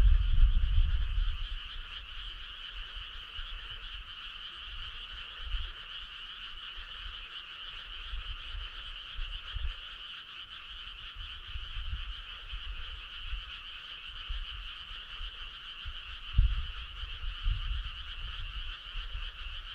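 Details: Summer-night frog choir, continuous overlapping croaks forming a steady buzzing wall of sound, with low rumbles and a few soft thumps in the background.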